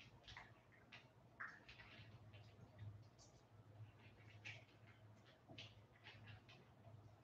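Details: West Highland White Terrier puppies, 47 days old, back indoors after an outdoor break. Brief, faint squeaky whimpers, one rising higher, over frequent soft shuffling, scratching and rustling noises and a steady low hum.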